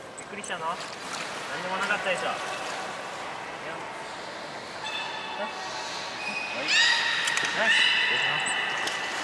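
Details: Beluga whale (Delphinapterus leucas) in an aquarium pool on the morning of 26 January 2020 gives whistles and chirps, bright rising squeals over a steady rush of water and faint voices.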